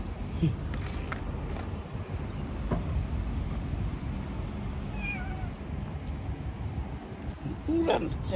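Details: Homeless street cats living outdoors, a short wavering meow rising and falling mid-clip, with another brief cry near the end, over constant low traffic rumble and nearby human voices.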